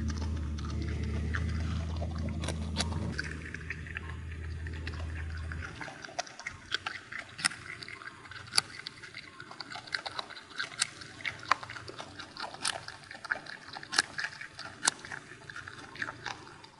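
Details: Groundhog, or marmot, living free on an Alpine mountain pasture without fences, used to people and lured with carrots, crunching a carrot: sharp, irregular crisp clicks and snaps following a steady low hum in the first six seconds.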